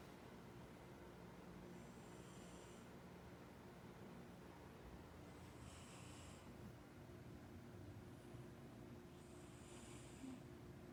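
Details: Pet cat 牙擦肥, fast asleep, snores in slow, airy cycles. Each hissing breath swells roughly every four seconds above a constant low droning background.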